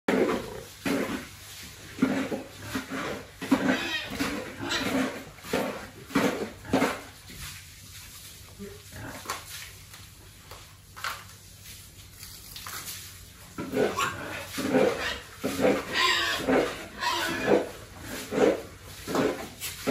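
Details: Pigs raised for sale on a family farm, fed and handled regularly by their keepers; harsh, broadband grunting bursts repeat roughly once a second, with a quieter gap in the middle and faint voices and clatter around them.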